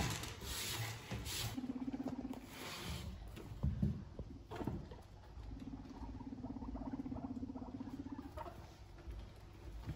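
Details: Pet guinea pig during cage cleaning while bonding: two low, steady, pulsed purring calls, one short and one longer lasting about three seconds, amid rustling bedding and handling noises indoors.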